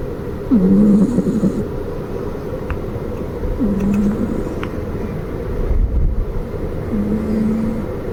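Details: Snores from Maruko, a flat-nosed Exotic Shorthair house cat: low, buzzy drones recur every few seconds, the first and loudest starting with a short rising slide, later ones fainter and flatter, with faint ticks and a low rumble behind.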